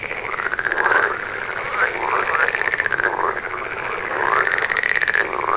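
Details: Frog chorus: dense overlapping pulsed, rattling calls in the mid range, swelling in bouts about every second, with rising trill-like notes repeating under a steady hiss of many callers.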